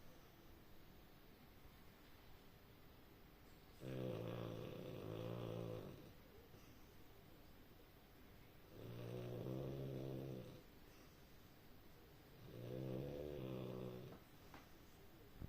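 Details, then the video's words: A sleeping French Bulldog snores in three long, rattling breaths, each lasting about two seconds and spaced roughly four seconds apart, with quiet pauses between them. "Bulldog francés roncando"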